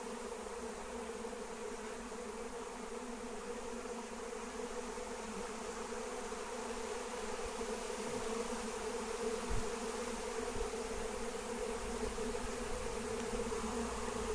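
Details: Wild honey bees swarming in the air as they are caught using lemon balm. A thick, unwavering buzz of countless wings that grows slightly louder toward the end, with a brief low thump near the middle.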